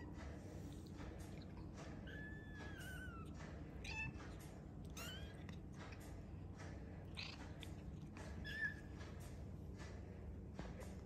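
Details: Arty's young kittens mewing in a room, thin high cries that rise then slide downward, several overlapping, with soft rustling and a constant low hum behind.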